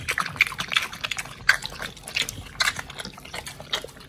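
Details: Raw-fed pit bulls chewing quail and giant sea bass skin, heard up close: crisp wet crunches and smacking bites repeating about twice a second, with faint drips between.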